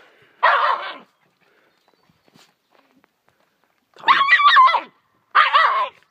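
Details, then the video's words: Small pet dog Rummel barking at a fish it is tearing apart: three loud rough barks, one alone, then a longer wavering pair after a pause of about three seconds. "Cute Dog bark"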